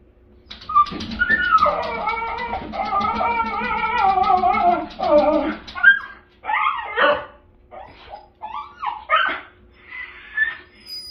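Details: Miniature Schnauzer excited at seeing his owner's car pull up after work, pawing at a glass door; high, wavering whines and yelps rise and fall in a long run, then break into short, separate yips.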